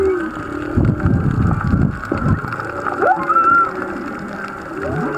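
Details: Several humpback whales sing miles off, heard underwater while snorkeling off Black Rock, Maui: rising upsweeps, a high whistled note and lower moaning tones.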